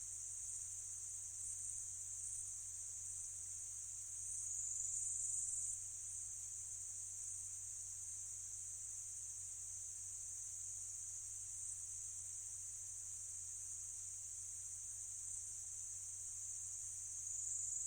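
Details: Bush-cricket, probably Pholidoptera littoralis, recorded in a meadow in Slovenia with a microphone array: an unbroken, very high-pitched shimmering buzz sustained for the whole stretch, barely varying in loudness, with a soft low hum beneath.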